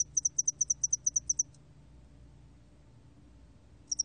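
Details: Spotted-wing hairy cricket recorded by the National Institute of Biological Resources in 2020: a rapid train of high, sharp pulsed chirps, about a dozen in quick succession, then a pause before a brief new burst; quiet low hum beneath.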